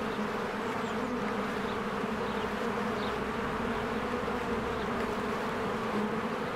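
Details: Busy bees streaming in and out of a hive in spring make a steady, low-pitched buzzing hum, joined by a couple of soft, quick bird calls.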